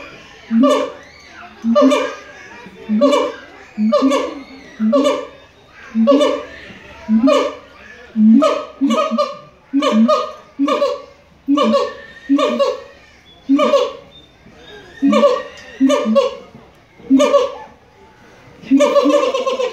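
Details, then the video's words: Siamang at the Los Angeles Zoo in full song, giving a steady series of loud, barking hoots about once a second. Each is rich in harmonics and sounds almost like laughter. "Siamang singing at the Los Angeles Zoo"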